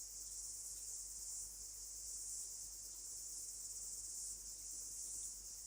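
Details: In New Zealand near summer's end, a cicada sings a steady, high-pitched shrill buzz without a break, growing louder; Cicada.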